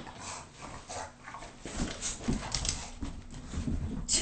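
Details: Bulldogs Agatha and Liam playing indoors in the house, giving rough snorting, grunting bursts in quick irregular succession, several every second, with a person's voice talking over them in a small room.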